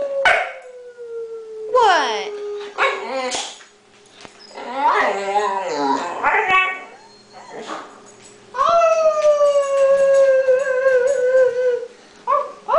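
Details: Indoor Boxer crying and howling because he wants to be with the husband in the garage; a woman urges him to tell Mommy and to sit. Wavering, falling whines and choppy yelping bursts, ending in a long sustained descending howl.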